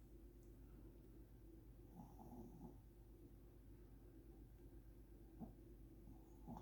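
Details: Elderly Shih Tzu snoring while asleep as a curious baby looks on; soft, low rasping breaths in short bursts around two and five seconds over a steady low indoor hum.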